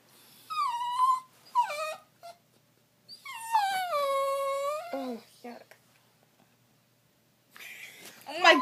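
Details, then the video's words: Trixie, a female pet cat, in 2014, making her signature weird noises: long wavering wails that slide downward, a short drawn-out cry, then a burst of harsher rasping sound near the end, with quiet gaps between. "Trixie makes weird noises"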